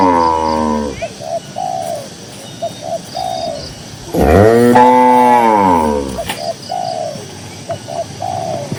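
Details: Tame cattle grazing in a cool green pasture in quiet countryside: a short low moo, then a long, loud, drawn-out moo that rises and falls, with repeated short whistled bird notes in the background.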